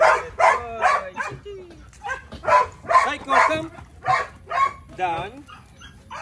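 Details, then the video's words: Belgian Malinois named Psycho barks repeatedly and evenly, roughly twice per second, with wavering whine-like tones between barks during training commands such as yes and sit. "My Belgian Malinois Psycho"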